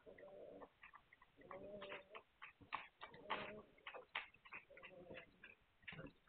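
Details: Hungarian Vizsla puppies, 9 March 2021, produce several short wavering whines mixed with dense clicking, pattering and rustling noises.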